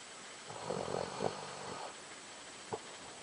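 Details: Doberman snores with a short, buzzy, pulsing rattle lasting over a second, rough and throaty like a man's snore, then a brief click.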